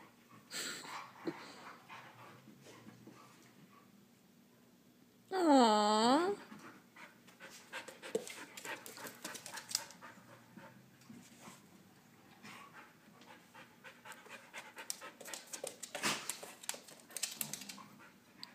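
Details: Husky pup, a Husky, Chihuahua and Lab mix, wrestling in play: one loud, wavering, harmonic yelp lasting about a second midway, surrounded by scuffling, rustling and soft panting-like noises.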